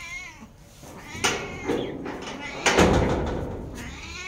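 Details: Sorna, a domestic cat asking for cat food, gives soft wavering meows at the start and end, between loud thumps and clattering handling noises.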